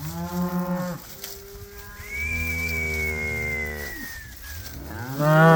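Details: Cows calling on winter pasture: a deep moo, then a long sustained bellow lasting about two seconds with a thin high whistle-like tone above it, ending in a rising, louder moo.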